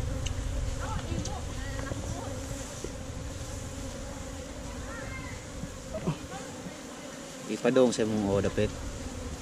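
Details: Honey bees humming continuously from their hive in a hollow tree trunk as hunters harvest honey, captured on a GoPro Hero5 Black; the even drone is broken by brief spoken words and a louder burst of voices near the end.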